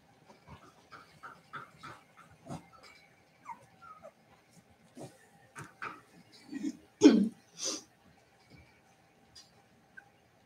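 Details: Cavalier King Charles Spaniel puppies playing indoors in a home puppy pen: faint, short squeaky whimpers and yips scattered across the stretch, with a louder burst near the middle and quiet rustling between calls.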